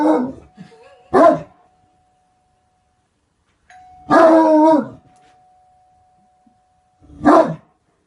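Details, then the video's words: Deep, booming barks from a Great Dane, three or four heavy harmonic woofs spread over eight seconds with long silent gaps, a thin steady tone lingering between them. "Great dane barking - DOG BARKING"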